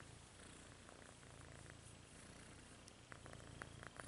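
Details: Rudolph, a red-nosed domestic kitten, purrs with a low, rumbling vibration pulsing about four times per second, with soft clicking sounds toward the end.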